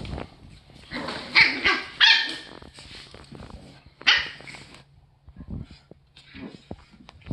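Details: Eight-week-old Boston Terrier puppy Terry at play with one-year-old Rocky on Terry's third day with the family; sharp, high yipping barks come in quick bursts, a loud cluster near the start and another a few seconds later, between quiet gaps.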